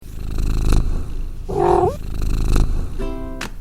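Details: Domestic cat purring, a sound said to carry a calming vibration believed to promote healing. A deep, pulsing rumble comes in rhythmic waves, broken by two short, tonal, meow-like sounds, with background music throughout.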